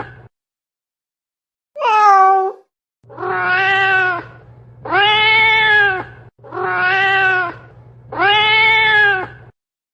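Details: Domestic cat repeating loud, long, drawn-out meows, a short higher mew followed by four sustained wailing calls in close succession, with a constant low hum underneath.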